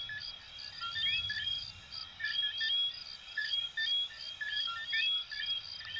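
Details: Chorus of coquí tree frogs, Venezuela and Puerto Rico, made of bright chirped notes and quick upward-sliding whistles in uneven bursts about once a second, with a rhythmic, buzzing, high-pitched insect pulse running underneath throughout.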